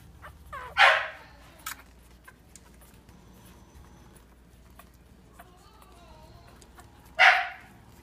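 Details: Boston Bulldog puppies at dinner time: two sharp, loud barks about six seconds apart, with faint whines and light clicking between them over a low background hum.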